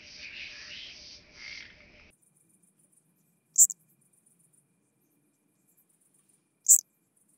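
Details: Chabrier's marbled bush-cricket recorded at Arzo, Switzerland, on 4 August 2023, possibly via ultrasound detector: after two seconds of broadband rustling, short high-pitched chirps sound about three seconds apart over a faint high ticking background.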